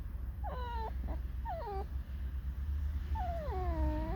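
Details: Captive fox squeaking and whining: a quick series of falling squeaks, then a long mournful whine sliding down and levelling off, over a low steady hum.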